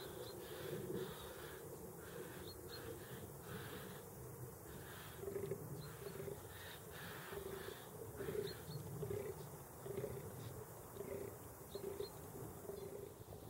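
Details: Fallow deer giving a run of low, hoarse, grunting calls that come in bursts about every second, rising and falling in loudness over the recording, with faint high bird chirps and steady outdoor noise behind.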